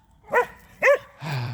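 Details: Belgian Malinois dog answering its owner's spoken invitation to play, barking as a way of talking: two short harmonic barks about half a second apart, followed by a lower, longer rough vocal sound.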